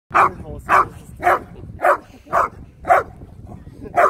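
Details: Two Labrador Retrievers recorded on 23 May 2020; loud, sharp barks repeated evenly about twice a second, seven in a row, with little else heard.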